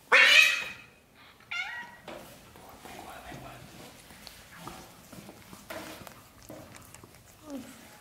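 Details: Young British shorthair kitten, one of a black golden and blue golden litter in its first 30 days, gives a loud harmonic meow at the start, then a shorter cry, followed by soft rustling and faint small squeaks indoors.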